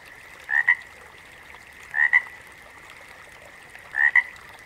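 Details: Frog chorus from a backwater. Three double-note croaks, each a short grating rasp followed by a snap, come about every two seconds against a steady background drone of many calling frogs.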